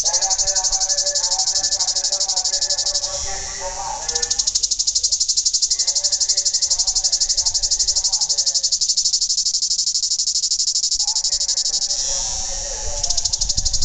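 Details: Cicada, known in Greece as tzitziki, calling by day: a loud, high, rasping buzz pulsed steadily about ten times a second, briefly dipping twice, with faint lower tonal sounds running beneath.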